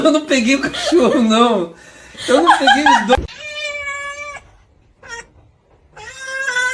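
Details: Domestic cat meowing: long, steady, even-pitched meows in the second half, one short meow between them, after a stretch of human talk and laughter at the start.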